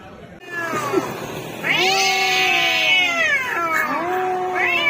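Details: Orange cats fighting with loud, harsh caterwauls: a strained rising yowl swelling into a long, intense wail, then a second drawn-out cry at the end.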